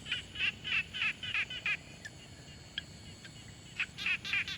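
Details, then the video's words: Frog calling at a quiet pond, field recording made with a Tascam Portacapture X6: a burst of six rapid, grating pulsed notes, a quiet gap with faint clicks, then another quick run of raspy notes. "Frog Sounds| #001 |Quiet Pond Nature Ambience"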